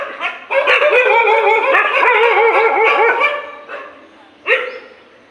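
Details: Dogs fighting in the morning: a dense burst of rapid, high, harmonic barks and yelps, overlapping and arched in pitch, runs for about three seconds, then fades to scattered yelps and one last sharp bark.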